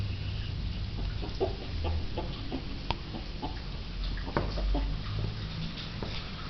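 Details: A pet land tortoise gives short, low clucking grunts, a few per second, much like a hen, while trying to climb onto a sidewalk curb, with low background rumble throughout.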